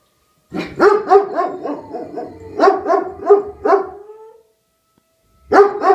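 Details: Answering a tornado siren, two dogs, Rufus the Beagle and Axle the German Shepherd, give a fast run of repeated baying yelps. A long, slightly rising howl trails off into silence before the yelping resumes.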